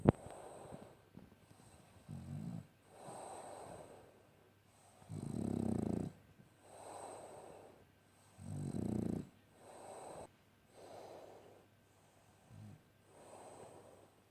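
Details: Nike, a sleeping French Bulldog, snores in a slow rhythm: soft rasping breaths alternate with deeper, louder rumbling snores roughly every one to three seconds, two of them especially heavy, in a quiet indoor setting.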